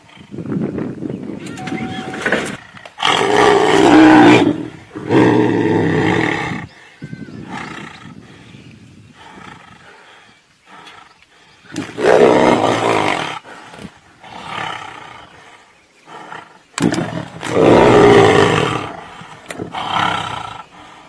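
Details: Tigers fighting at Tiger Canyon in South Africa: loud broadband roars and snarls in bursts around 3–7, 12 and 17–20 seconds, with quieter growling between them.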